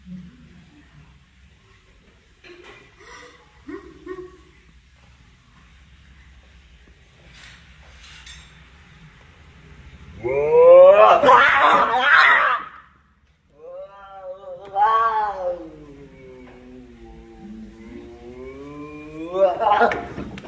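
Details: Fighting cats trading meows: scattered faint cries, then a loud harsh yowl of about two seconds, a drawn-out wavering moan that dips and rises, and a short sharp cry at the end, in a quiet room.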